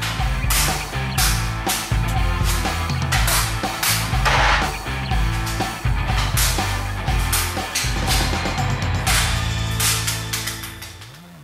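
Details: Loud rhythmic music with sharp percussive hits fills the whole stretch, and no animal voice stands out.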